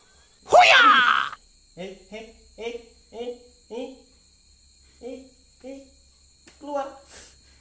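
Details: Mother cat reacting to something inside a helmet gives a string of short, soft harmonic mews, about every half second, after one loud opening cry; faint steady electronic hum in the background.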